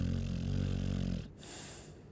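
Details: Chow Chow dog snoring: a loud, low, harmonic rumbling snore lasting just over a second, then a quiet breath out with a soft hiss.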